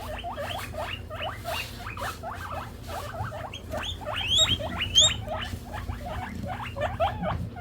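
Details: Hungry pet guinea pig wheeking; rapid series of short, high, upward-sweeping squeals repeated many times a second, some rising higher, over a steady low hum.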